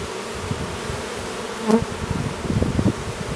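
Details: A newly developed drone Western honey bee chewing its way out of its brood cell at an apiary near Duluth, Minnesota, with short, low humming buzzes in uneven bursts over a faint hiss.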